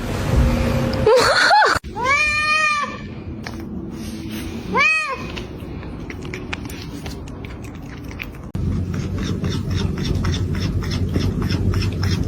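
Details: Domestic cat from a funny pets cat fight compilation, giving a long wavering yowl and then a shorter strained meow, both rich and harmonic, over background music, laughter and indoor speech.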